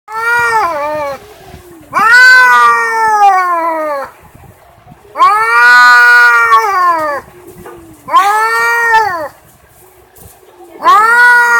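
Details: Cat giving loud, drawn-out yowling caterwauls, each wail lasting one to two seconds with a rising then falling whine, four calls spaced by quiet pauses, little background noise.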